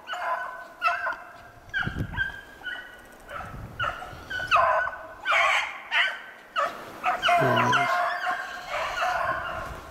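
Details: Pack of beagles trailing snowshoe hare on 25 February 2016, baying in a steady run of ringing, harmonic yelps and longer bays that overlap at times, with occasional low thumps in the background.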